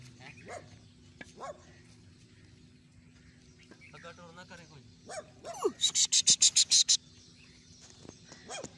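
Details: Dog barking: several sharp, repeated barks with a rapid burst of about eight quick barks in the middle, plus whining rising calls and background hum.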